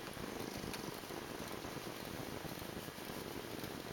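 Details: A pet cat purrs as a continuous low, throbbing rumble under a constant hiss, evenly paced and unbroken for the whole stretch.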